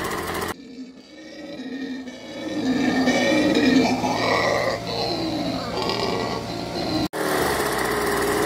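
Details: Autumn at the Biblical Zoo: a howler monkey family roars in deep, rasping, swelling bursts over the steady drone of gardeners' leaf blowers, howling back to mark its territory.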